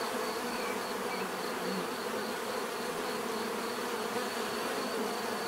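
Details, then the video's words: Dense, even hum of many bees buzzing without pause, a uniform drone with bright upper overtones and no other sounds standing out. "bees therapy relaxing natural buzzing sound"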